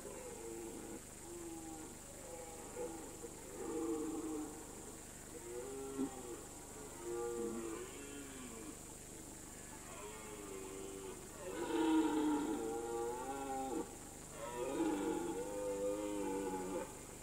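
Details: Red deer stag roaring during the September/October rut on a mountain alm: a series of deep, harmonic-rich bellows, rising and falling, growing louder and fuller toward the end, each lasting one to two seconds.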